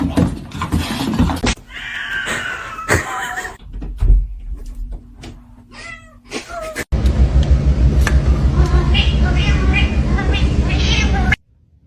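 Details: Domestic cat giving several short meows with rising and falling pitch, interspersed with human speech, followed by a stretch of loud steady background noise.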